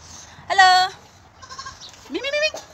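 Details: Affectionate goat being bottle-fed in Bahrain gives a loud, steady harmonic bleat of about half a second, then after a quiet gap a shorter, rising bleat; faint murmuring sounds between the calls.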